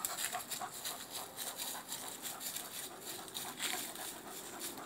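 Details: Male Rhodesian Ridgeback named Axel climbing a tree after a squirrel he saw high up and wanted to play with; quick breathy rhythmic panting, several hoarse puffs per second, steady throughout.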